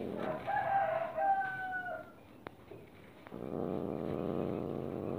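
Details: Cat voicing displeasure while being stroked: a drawn-out, moaning tonal wail of about two seconds, slightly wavering and falling at the end, followed by rustling handling noise.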